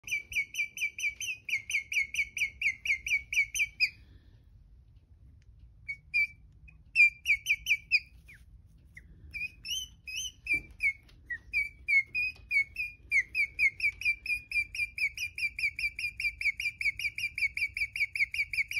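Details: A newly rescued, pregnant, thin female guinea pig, abandoned outside a pet store with another pregnant female and confused and scared, chirps in long, rapid runs of high, birdlike notes, pausing briefly between bouts.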